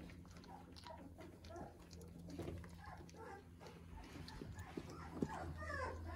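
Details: Weimaraner puppies, 18 days old, walking better daily and discovering their voices, let out faint, thin squeaks and whimpers over a steady low hum.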